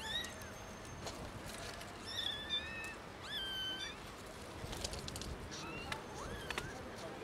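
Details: Loud meowing from three young kittens discovered in a garden: a burst of several high, thin, bending meows in quick succession, then a few more spaced cries later, with outdoor background noise throughout.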